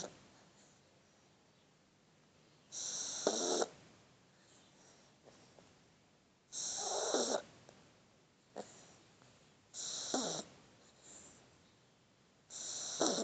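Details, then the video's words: Shar Pei puppy asleep in a person's arms, snoring: breathy, hissing bursts of about a second each, returning roughly every three seconds, with quiet pauses between. "Cachorrito Shar Pei roncando"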